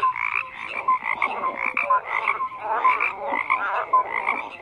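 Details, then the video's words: Croaking frogs in bursts of overlapping calls, loud pulses about every half second, a few clear rising whistle-like notes between the rattling croaks. "FROGS CROAKING"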